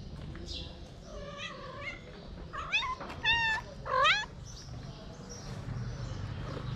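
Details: A hungry three-legged feral cat meows to ask for food: a few soft rising-falling meows, then three louder harmonic-rich mews around the middle, over steady background noise.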